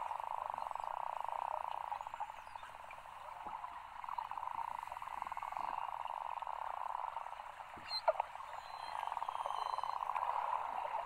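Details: Beluga whales at low tide close to shore in Cunningham Inlet, Nunavut, where over 2000 gather from early July to mid-August, chatter in a dense, buzzy chorus with a few high thin whistles sliding above it.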